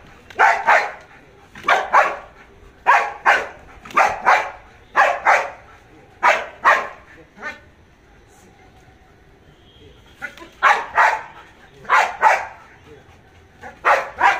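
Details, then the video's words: Jax, a Belgian Malinois in 2021 guard and obedience training, barks on command without attacking. Sharp barks come in quick pairs and triplets, a pause near the middle, then more paired barks, with faint background noise. "تدريب الكلب على النباح بالأمر بدون الهجوم"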